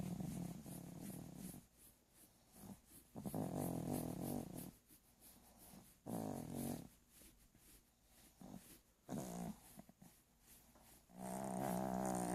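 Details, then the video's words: A dog snoring while asleep indoors; low rasping, buzzy breaths in irregular bursts of about one to two seconds, separated by quieter pauses. "Snoring dog."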